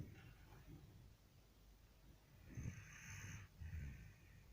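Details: Dog asleep and snoring; after a quiet stretch come two rasping, rumbling breaths, the first longer and the second short, with faint breathing noise between.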